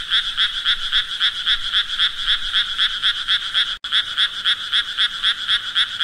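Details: Frog croaking: buzzy pulses at about four per second, around twenty-three in all. A brief silent gap falls partway through, then the same even rhythm resumes.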